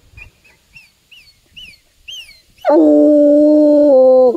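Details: In the woods, a Bluetick Coonhound follows a scent trail to a tree; a small bird's short, repeated chirps come first, then the hound lets out a single sustained, resonant bay of nearly two seconds.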